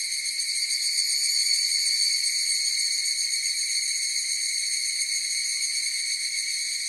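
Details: Higurashi cicadas calling together in a continuous shrill, tonal drone with a soft, rapid pulse throughout, loudest early on. Nothing else is heard.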